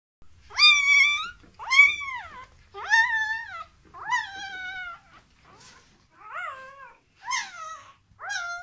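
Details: Dogo Argentino puppies at a breeding kennel during a relaxation technique for puppies: loud, high, harmonic whines that rise then fall, each about a second long, repeated roughly once a second in an uneven series, quieter toward the end, in a small indoor space.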